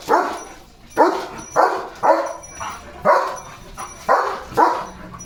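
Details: Pet German Shepherd Leo sounding off at the coming rain: hoarse, mid-pitched barks roughly once a second, some doubled, steady and insistent with little else audible.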